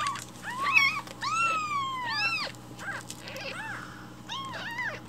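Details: Hungry rescued baby kittens crying loudly for morning milk indoors; several overlapping kittens give long wavering arched meows, some rising then falling, others shorter and clipped, with faint household background noise.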